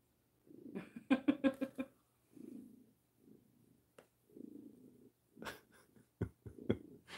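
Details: A male Maine Coon cat, purring while his chin is scratched, gives a very loud, deep, rumbling purr in a rhythm of pulsing breaths; the owner says it sounds like an engine.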